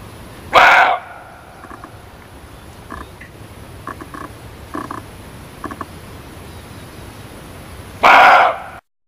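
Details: Two sharp, harsh barks from a muntjac, spaced about seven seconds apart, with faint short knocking sounds and steady low hiss filling the gap between them.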